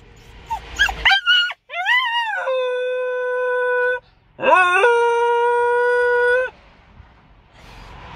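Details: Puppy coming out of anaesthesia following neutering, indoors: quick high whimpers and yips sliding upward, then two long sustained howls, each rising into a flat, even tone held roughly two seconds, separated by a brief pause.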